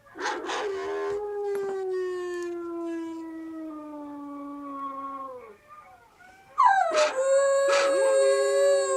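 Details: Siberian Husky puppy howling: a long, drawn-out tonal howl slides slowly downward for about five seconds. After a short pause comes a louder, wavering howl that rises and then holds steady.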